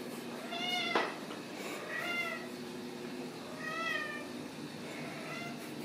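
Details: Ragdoll kittens raised in a home cattery in central Kansas, giving several thin, high, wavering mews spaced about a second or two apart over a steady background hum, with a couple of sharp clicks.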